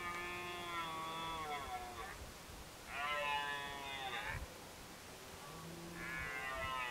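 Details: Red deer during the 2023 rut in Côte d'Or, France: three drawn-out, strongly harmonic roars lasting one to two seconds each, separated by short pauses, over a faint background hiss.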